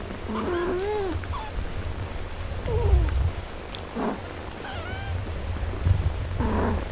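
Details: Domestic cat family, a mother with her four-day-old kittens: thin, high, arching mews come in short bursts near the start, middle and end over a continuous low purr, with some rustling.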